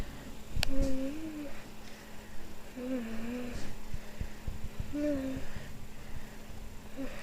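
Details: Kimball, a young Boston Terrier, cries in three soft, low, drawn-out whines spaced about two seconds apart, each slightly wavering, over a faint steady hum.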